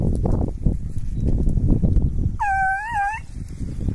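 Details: Petit Basset Griffon Vendéen dogs in training outdoors, chasing rabbits: a single drawn-out, wavering bay rises and falls for under a second, over steady low rumbling wind or handling noise.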